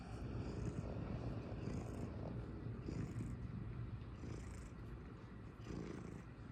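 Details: Cat purring in a low, rolling rumble that swells and eases with each breath, steady throughout with a faint hum behind it.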